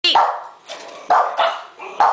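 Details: A pug barks on a spoken "speak" prompt, leaping or lifting his hind legs with each bark: a quick run of sharp, mid-pitched barks, about two each second.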